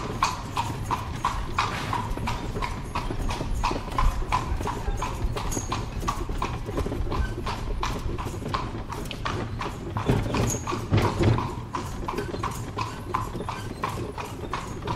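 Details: Horse carriage rolling along cobblestone streets in Spain with no traffic: hooves clop steadily on cobblestones over a low rumble of carriage wheels; horse (Equus caballus) hoofbeats.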